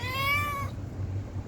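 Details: Stray cat begging for food gives one long, clear meow lasting under a second, held steady then dropping at the end, over a low background hum.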